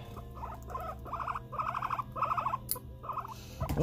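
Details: Pet guinea pig, annoyed during nail clipping, repeating bursts of rapid pulsed chattering notes, several groups in a row, ending in a short rising squeal.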